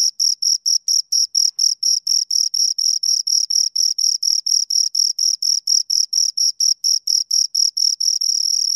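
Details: Two crickets give a bright, high rhythmic chirp, pulses repeating steadily several times a second and blurring into a continuous buzz at the very end.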